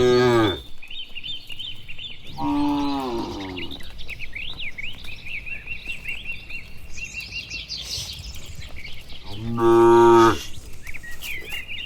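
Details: Tame cattle herd, dozens strong, walking slowly home along a village road under green trees on a warm afternoon; three loud moos spaced apart, one brief at the start, with continuous chirping and trilling birds between them.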